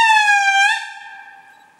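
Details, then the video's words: An indri in Andasibe, Madagascar, gives a loud, pure, horn-like wail that holds steady, dips slightly, then fades away. "Indri Lemurs Calling"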